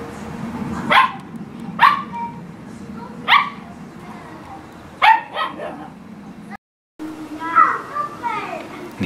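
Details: Dog at playtime, with cats about, giving about five sharp, loud barks spread over nine seconds at uneven gaps of one to two seconds, the last a broken, yelping bark, over a steady low background hum.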